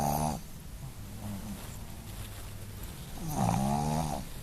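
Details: Boston Terrier Sophie sleeping and snoring, a brief raspy snore at the start, a soft quiet breath, then a louder buzzing snore near the end.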